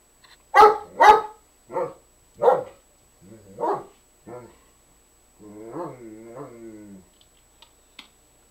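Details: Nikki the dog tries to get Nubbs playing; two loud barks followed by softer, shorter barks fading off, then a drawn-out whiny, wavering vocalisation and a few faint clicks.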